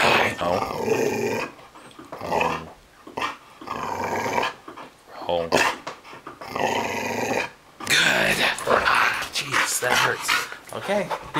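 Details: Indoor training session for a female pet dog learning to bark and growl on cue: rough, rasping growls rise and fall in bursts, mixed with a person's spoken commands and praise.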